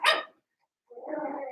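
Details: Cavalier King Charles Spaniel puppies, seven weeks old, in a puppy pen inside a family home: one sharp high yelp, a brief pause, then a longer, rougher whining cry.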